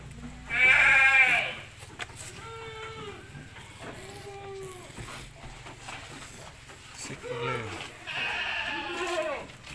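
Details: Peranakan Etawah goats on a large goat farm: a loud harmonic bleat near the start, then several shorter stacked bleats from the herd, with a man speaking Indonesian among the calls.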